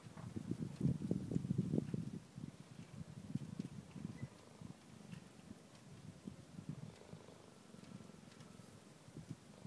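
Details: Cheetah cubs relaxing with their mother, a low rumbling purr in irregular pulses, strongest in the first two seconds and continuing more softly throughout.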